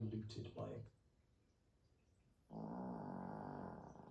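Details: A sleeping Chihuahua puppy snoring indoors: a short burst of human voice, a quiet pause, then one long, raspy, buzzing snore lasting over a second.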